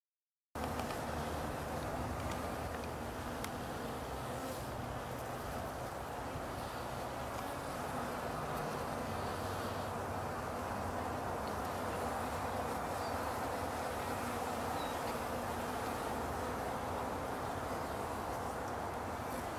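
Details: Mildly agitated bees just after a hive inspection, giving a continuous dense droning hum that stays level in loudness for the whole stretch, with no other clear sounds.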